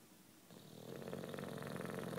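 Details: British Bulldog Juanito, nine years old and sleeping, begins a loud rattling snore that swells after a quiet start and keeps vibrating to the end.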